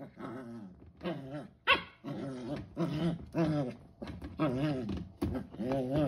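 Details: A 12-week-old corgi puppy in playful "monster mode", recorded 7 September 2021, gives a run of rough, wavering growls and little yaps.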